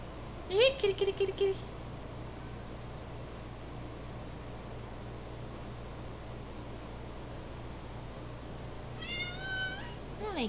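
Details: Pet cat, called out of a room to play with a dog named Dixie and unwilling to, answers with a short series of high, rising, strained meows near the end, after a person's voice repeatedly calling "kitty, kitty" in a small indoor room.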